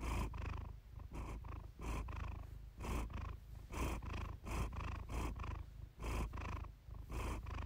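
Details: Iris, a pet cat, purrs in a calm, relaxed moment, heard at close range: deep rumbling vibration rising and falling with each breath in regular surges roughly every second, with no other sounds.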